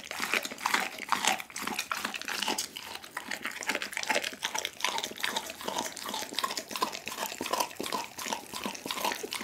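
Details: Pit bull named Duggie eating a whole chicken indoors: steady, fast crunching and wet chewing clicks, rhythmic and close, with bone cracks repeating several times a second throughout.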